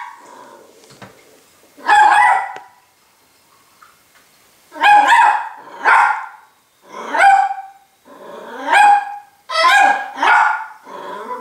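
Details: Frightened Miniature Pinscher puppy barking at a spoon in its bowl: sharp, high yaps in pairs and singles, roughly every second or two, separated by brief silences.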